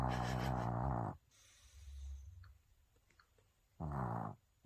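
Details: Maltese asleep, snoring like a man next door: deep, rough, droning rasps about one second long, with soft breathy exhales and a gap of over two seconds between snores.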